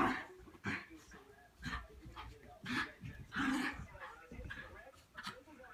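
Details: Playing Cairn Terriers, a puppy with an adult dog, Whiskey and Charlie; rapid soft yaps, grumbles and whimpery sounds come in quick succession against faint room noise.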